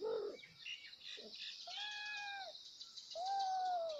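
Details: Kittens meowing loudly to call their mother: short scratchy squeaks at first, then two long, clear, arching meows, set against a steady high background hiss.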